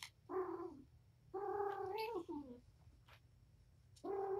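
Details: Patience, a domestic mother cat surrendered to a rescue, wound up and playing with her five kittens indoors; three drawn-out harmonic meows, the middle one longest and falling in pitch at its end, over a low background hum.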